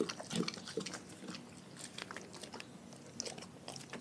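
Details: Close, busy chewing from a dog on raw food: rapid uneven bites and crunches at roughly two or three per second, moist and crackly, in a small indoor space.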